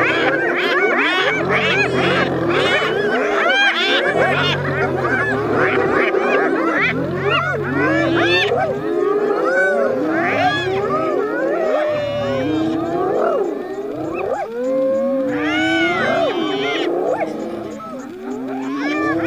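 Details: Spotted hyena laugh during a battle with a lion over food: a chorus of high, bouncing giggles and whooping yelps pours out continuously, with a low pulsing throb underneath.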